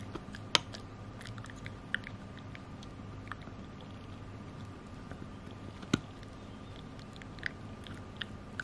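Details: Pekingese named Chai, a 9 kg pet dog, chewing a Himalayan mountain cheese stick indoors; scattered sharp crunching and biting clicks over a quiet room hum, loudest bites near the half-second and six-second marks.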